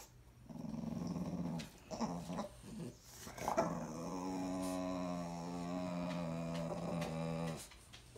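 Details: A female French Bulldog, in heat, moody and alpha of her pack, argues indoors with another Frenchie and a German Shepherd. Low harmonic grumbling growls rise and fall, then settle into one long steady growl of several seconds.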